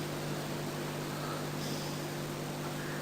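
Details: Steady broadband hiss with a low hum and no animal voice.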